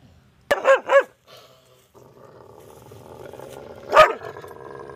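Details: Angry dog barking loud at a stranger: a quick pair of sharp barks at the start, a pause with a low hum, then one more loud bark near the end.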